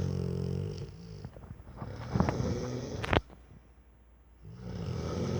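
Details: A sleeping four-year-old Rottweiler indoors, a low rumbling snore at the start, then a stretch of shuffling and rustling with a sharp click, before the snoring swells again at the end.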